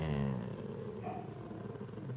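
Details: Senior female Golden Retriever 'talking' to her owner, wanting attention and some loving: a low, rough, growly grumble with a short harmonic tone at the start that breaks into a ragged rumble, continuing steadily throughout.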